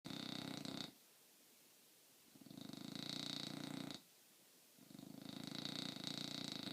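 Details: Sleeping bulldog snoring very loudly indoors: three long, rough, rattling snore breaths, each lasting about a second and a half, with short quiet gaps between them.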